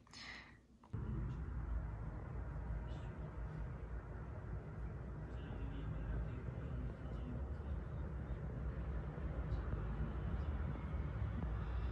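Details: Low, steady rumble of a vehicle or engine fills the recording, with faint speech and no animal voice.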